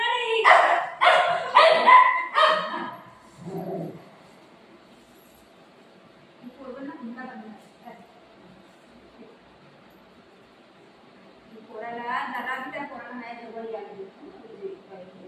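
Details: Golden retriever Buzo and shih tzu puppy Milo fighting: a rapid burst of four or five loud, harsh barks in the first three seconds, then quieter broken yelps and growly sounds with human voices in the background.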